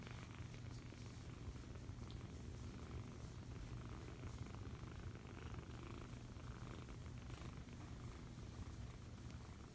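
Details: Steady rumbling purr of a foster kitten being cuddled, deep and unbroken from start to end, with quiet rustling of handling heard faintly above.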